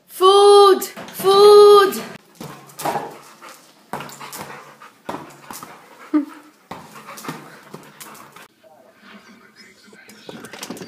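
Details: Labrador Retriever in a funny home compilation gives two loud drawn-out tonal whines, each under a second, then quieter short vocal sounds mixed with human speech.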